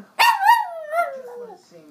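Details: Pet Chihuahua singing along with its owner to the national anthem, trying to match the human's tune: a short, drawn-out tonal howl that starts abruptly, wavers, then slides downward and fades, with a faint voice at the end.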